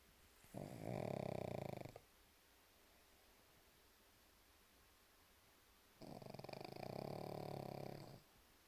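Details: Sleeping pug snoring indoors: two long rattling, buzzy snores about four seconds apart, each lasting around one and a half to two seconds, separated by quiet breathing pauses.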